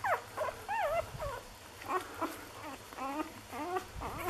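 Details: Six-day-old Lagotto Romagnolo puppies of an A litter in Hamburg, giving repeated high whining and squeaky whimpers that rise and fall in wavering, looping contours, several overlapping, with a low hum underneath.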